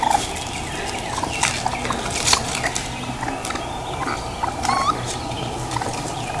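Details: Baby raccoons at Black River Preserve in South Haven, Michigan, an area of ravines, beech-maple forest and streams, give rapid, wavering chitters and trills in short bursts over a steady background hiss.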